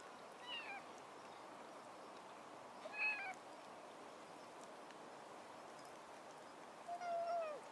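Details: Two young kittens, with an adult cat watching over them, 30 October 2016; three short, thin, high meows spaced a few seconds apart, the last one lower and drawn out, over a steady background hiss.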